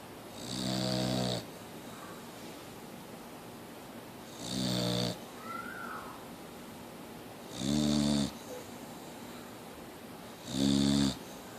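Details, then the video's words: Boxer dog named Mia still snoring, four loud buzzing snores spaced about three seconds apart, each a rough harmonic rasp with airy hiss, plus faint soft sighing noises between them. "Mia The Boxer Dog still Snoring!"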